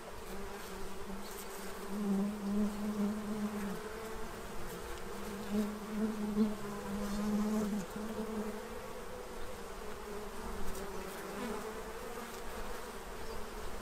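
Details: Bees feeding from a tray to prepare for winter in Central Illinois: a steady low hum with bright bursts as individuals fly close past, fading and swelling over several seconds, with a faint overtone above.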